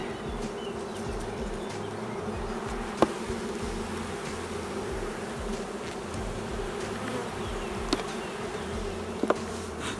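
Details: Honey bees of a queenless, drone-laying hive: a dense, even droning hum holding steady throughout, with a few sharp clicks around the third, eighth and ninth seconds.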